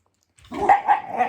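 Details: Five-year-old Shiba Inu, angry and a little scared during its first nail clipping in eight months, since it dislikes having its paws touched; a short, rough grumbling growl of about a second with three throaty pulses.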